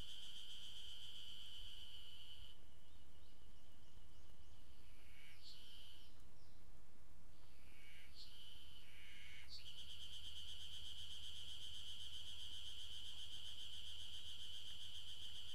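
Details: Ezo spring cicada singing at Maruseppu, Hokkaido, on 16 June 2012: a steady, high, buzzing drone that breaks off for several seconds mid-clip, with short chirping sounds in the gap, then resumes unbroken over a low background rumble.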